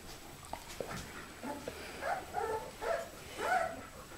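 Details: Puppies whimpering at their first meeting with their great-grandmother Oralee, 2015: short, whiny, wavering squeals that rise and fall, becoming louder and coming in quicker succession during the second half, over faint rustling.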